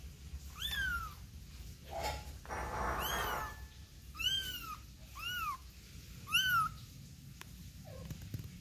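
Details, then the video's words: Kitten with its mother cat: several high, arched meows with rich harmonics, some rising then falling, repeated about once a second, with a brief broadband rustle between calls. "BABY CAT OUT AND BROUGHT IN WITH MOTHER🐈💝💘#ANIMAL#CUTR CAT MEOWING"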